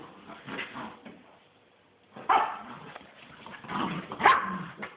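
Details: Mother and son miniature wirehaired dachshunds playing tug of war; throaty growls and a couple of short barks in two bursts, split by a near-silent second-long pause.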